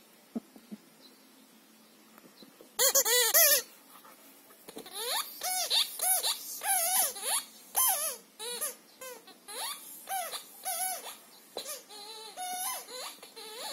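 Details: Shira, a Siberian Husky, tests a Nerf Dog ridged squeaker football in her kennel. Harsh noisy bursts open the recording, then a run of bending, harmonic whines and yodel-like moans follows in quick, uneven succession.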